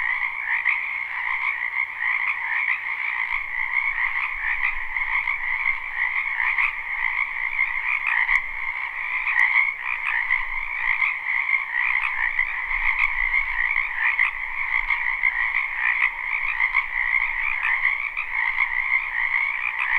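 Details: Many frogs croak together in a spring wetland, recorded live and unlooped; a sustained, dense chorus of trilled calls in two stacked bands, constant over the whole stretch with occasional faint clicks.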